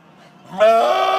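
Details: Screaming goat: a low rising onset bursts into a loud, harsh, harmonic-rich cry held for about half a second, human-like in tone, just after a person asks for it to be done again.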